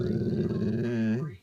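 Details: Pet dog indoors growling while watching a dog film on television; a low rumbling growl lasting about a second, ending with a slight rise before fading out.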